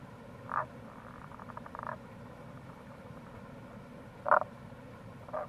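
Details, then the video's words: Wild Tago's brown frog calling near a gorge on the Kamo River, Itoshima, Fukuoka, Japan, in April: two loud short croaks four seconds apart, a soft pulsed rattling train between them, and a final croak, over a steady low rumble. "Wild Frog Call | タゴガエル"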